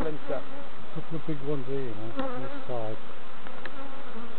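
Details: Buzzing honey bees during a novice hive inspection at Summerwood Lane Allotments and Community Garden: a steady low hum broken by repeated swoops of individual bees flying past, pitch rising and falling.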